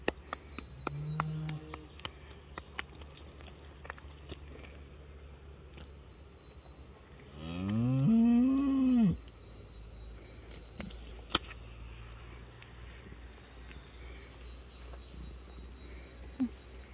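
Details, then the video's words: Free-grazing cattle, a small herd of cows and an ox, browsing woodland in Bischofswiesen near Berchtesgaden, Bavaria; a single low moo rising then falling lasts about a second midway, otherwise quiet outdoor ambience with faint rustling and footsteps. "Oh-Oh, freigrasende Kühe säumen meinen Weg! / Pasturing Cows on my path!"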